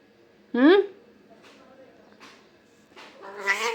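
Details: Domestic cat in an angry mood gives a loud, sharp meow that rises quickly in pitch, then a longer, harsher meow after a quiet stretch with faint murmuring; a person's voice is heard softly between calls.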